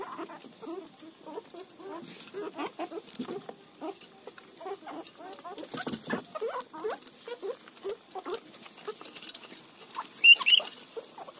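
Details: Guinea pig eating roti, giving a rapid run of short, squeaky, chirp-like notes, some rising, repeated several times a second over soft chewing and rustling, with a brief louder squeak near the end.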